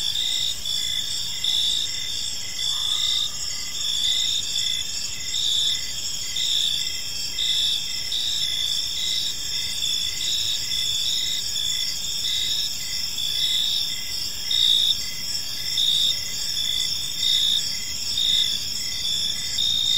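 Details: Evening cricket chorus in a quiet park: constant high, ringing trills from many insects, rhythmic chirp pulses, and a brief lower call near the start.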